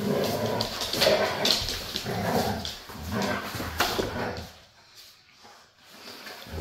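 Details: Two Siberian huskies, Cam and Cub, playing together: rough, noisy growling bursts and yips come in uneven succession for about four seconds, then fade to quiet, with a person's voice speaking over the play.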